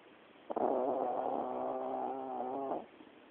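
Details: Yorkshire terrier snoring like a horse: one long, drawn-out rattling snore of about two seconds, steady and nasal with a buzzy tone, surrounded by near silence.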